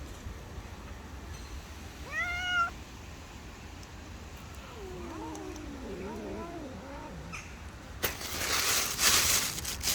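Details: Street cats fighting over food they cannot share give short rising meows, then a lower wavering, drawn-out caterwaul, ending in a burst of rustling noise.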